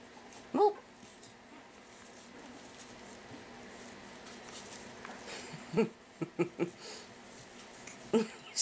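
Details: Pekingese puppies, five weeks old, at play in their pen after breakfast, give brief high squeaks and yips, one near the start and a cluster toward the end, over soft rustling in a small room.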